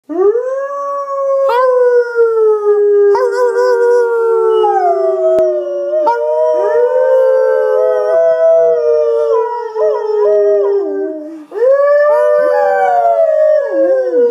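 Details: Labrador Retriever, a pet dog indoors, howling along to loud music: long sustained wavering howls with rich harmonics, each drawn out for several seconds, rising at onset then sliding slowly down, with brief breaks between phrases.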